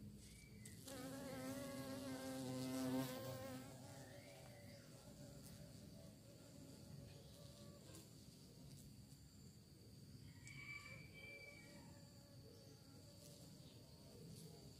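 A bee's loud, steady wing buzz swells close by, then fades to a softer, wavering hum.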